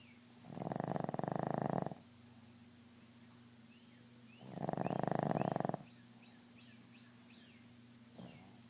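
A Boston Terrier snores in long, rasping, rattling breaths, each lasting over a second.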